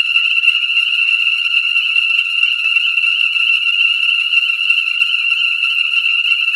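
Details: Ornate chorus frogs call in a dense, unbroken, high-pitched chorus of rapid peeps at a breeding pool in Conecuh National Forest, southern Alabama, on New Year's Day 2017, in light rain at about 67 F; the pool had refilled within 24 hours.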